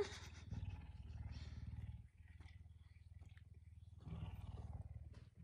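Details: A puma kept as a house pet wakes its owner early in the morning. Continuous deep pulsed rumbling dips briefly after two seconds, then resumes and swells again near the end.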